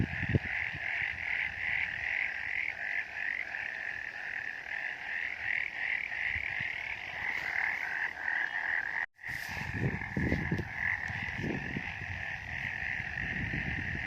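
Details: Chorus of frogs on a misty mountain, continuous and throbbing with rapid pulsed trills. Sound drops out for a moment near the middle, followed by scattered low knocks and rumbles.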